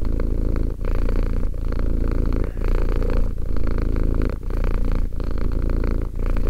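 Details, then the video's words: Romek, a two-year-old cat, purrs continuously: low, buzzing rumble concentrated in the deep register, with short dips about every second marking breath changes, close and clear without other sounds. "One hour of quality cat purring."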